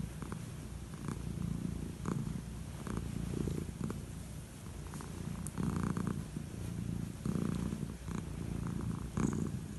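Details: An old calico cat purring steadily while enjoying head strokes before bed, a low continuous rumble with soft rhythmic stroking and rustling sounds at regular intervals indoors.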